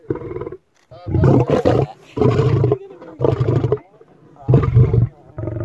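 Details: Lion roaring with heavy, throaty bursts, several long and strained, others shorter, spaced irregularly over a few seconds; the sound is powerful and centred low.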